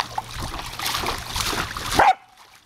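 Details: Female Samoyed named Savannah playing with a running garden hose on a summer day, letting out short broadband barking bursts over steady splashing and trickling water, ending in a sharp loud burst before quiet.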